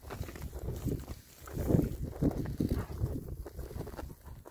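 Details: Six rare breed Oxford Sandy and Black pigs, all boys, happily foraging outdoors in winter between storms; low, short grunting oinks come in irregular bursts, loudest around the middle, over steady rustling and trampling of the ground.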